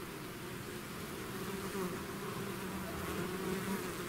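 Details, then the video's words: Out of their hive, a swarming mass of bees gives a thick steady drone that swells a little louder midway, low humming tones sustained throughout. "bees therapy swarm natural buzzing sound"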